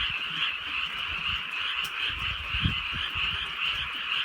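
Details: Frogs calling on a drizzly rainy night in the countryside: a dense, unbroken chorus of high, shimmering trills holding steady throughout, with soft rain patter and low rumbles underneath.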